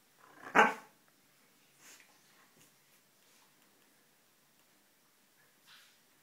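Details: Siberian Husky Sjusja lies asleep indoors on her mistress's bed, unwilling to leave, and gives one short, sharp bark or grumbling yelp near the start, followed by a few faint rustles in a quiet room.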